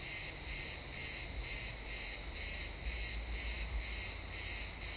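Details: Sunset in a pine forest, crickets chirping: shrill, pulsed bursts repeating about twice each second, slightly less even here, over a soft low rumble of wind or distant noise.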